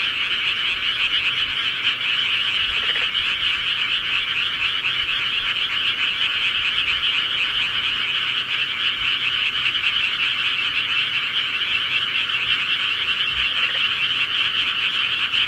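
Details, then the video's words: A long stretch of steady rural frog chorus: countless overlapping trilled croaks merge into a continuous bright drone, unchanging in pitch and loudness, with faint low background noise. "시골개구리 소리"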